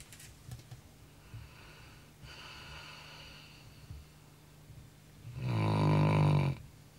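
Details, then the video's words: Pet Labrador Retriever asleep at night after running hard; faint clicking like typing and a soft breath early on, then one loud, harsh, rumbling snore over a second long near the end. "ronquidos de labrador"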